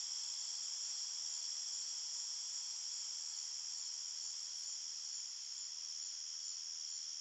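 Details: Crickets chirping at night in a forest: a dense, unbroken high-pitched trill made of several steady shrill bands layered together, holding an even loudness throughout with no other sounds.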